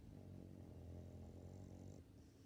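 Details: Sixteen-year-old female Labrador Retriever snoring while asleep: a steady low rumbling drone with layered low harmonics, fading slightly near the end.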